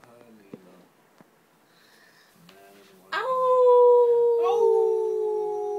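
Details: Pomeranian indoors being trained to howl, succeeding on the first try: after soft human talk and small knocks, a loud, sustained tonal howl begins suddenly and holds steady, sliding slightly lower over nearly three seconds.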